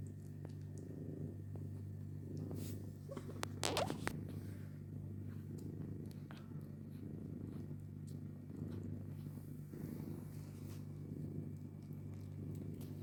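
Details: Purring from a household of cats and their kittens, low and continuous, swelling in regular breathing cycles about every second, with a brief louder scuffle near the four-second mark over a steady background hum.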